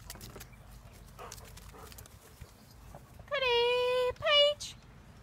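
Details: German Shepherd in a pack being called by name along with Friday, Paige and Cody. A man speaks first, then a steady, drawn-out whining tone lasts nearly a second, followed by a shorter rising one.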